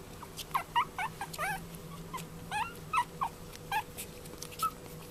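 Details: Male Chihuahua puppy born 14 February 2013, at the Hiramatsu Kennel pet shop in Yokosuka, Kanagawa, Japan. It gives a run of about a dozen short, high, squeaky whimpers and yips, some bending up then down, over a faint steady hum.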